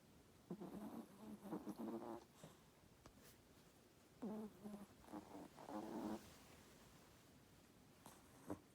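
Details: Chihuahua asleep beneath a blanket, snoring loudly; two long rattling, buzzy snore breaths about four seconds apart, each broken into quick fluttering pulses, with quiet rustling between and a soft spoken word near the end.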